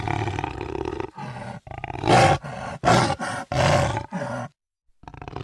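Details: Rasping jaguar roar made of rapid coarse grunting bursts, roughly one every half second, ending in a brief silence before another starts.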